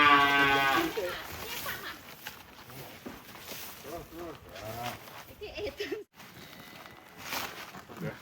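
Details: Giant cattle leaving the pen: a loud harmonic moo opens the clip, followed by shorter lowing sounds amid people talking and background commotion.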